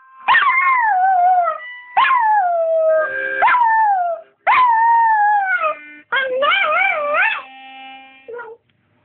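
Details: A pet dog howling along while someone plays harmonica: four long, wavering howls, each rising sharply then sliding down, separated by short breaks, the last warbling up and down, with harmonica tones beneath and a short yip at the end.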